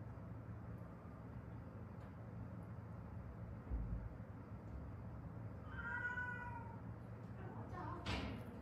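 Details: One of a rescued stray cat mother and daughter from Haeundae, survivors of a traffic accident that left broken bones healed unset; after quiet room hum, a single clear, slightly falling meow, then a soft rustle.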